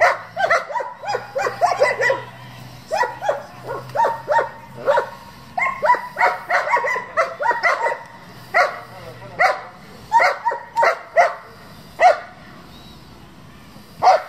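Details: Sustained barking from German Shepherds kept for breeding and competition: rapid volleys of sharp, ringing barks, several per second, separated by brief pauses, continuing steadily for about fourteen seconds.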